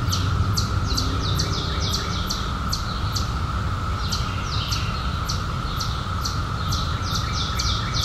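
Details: Cicadas buzzing: a steady, unbroken high drone holds through the whole stretch, while rapid repeated bird chirps sweep down over it and a low background rumble sits underneath.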